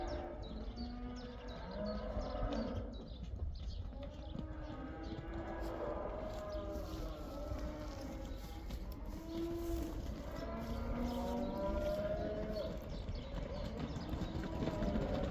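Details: Cows heading back into the pasture in the Netherlands during the cow dance, some of them black: steady overlapping lowing, with several long bending moos standing out over a constant low rumble.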